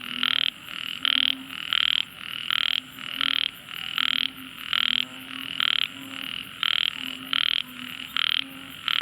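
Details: Tiny frog calling loudly: bright, harsh pulsed notes repeated in a steady series roughly every half second to second, each a short burst with a faint lower tone beneath, continuing throughout.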